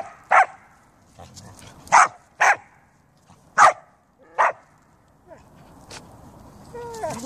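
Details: Siberian Huskies and a Samoyed outdoors in fine weather, sharp single barks at irregular intervals, five loud ones over five seconds, with softer yips between and a high whining squeal near the end.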